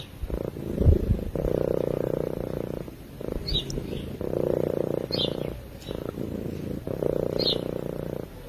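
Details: Cat purring in its sleep, close and clear: a strong low vibrating rumble in long inhale and exhale phases of about one to one and a half seconds, broken by brief quiet pauses.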